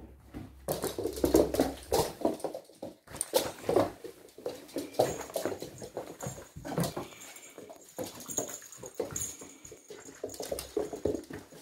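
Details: Indoors, Archie the 3-month-old Springador pup shakes and tugs the cat's bed: steady run of short, gruff snorting growls over constant rustling and knocking, with a faint high whine in the background.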